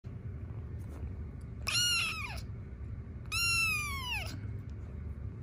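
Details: Young rescue kittens in foster care while kneading, or making biscuits, indoors: two drawn-out, harmonic-rich meows about a second and a half apart, each sliding downward in pitch, over a low steady background rumble.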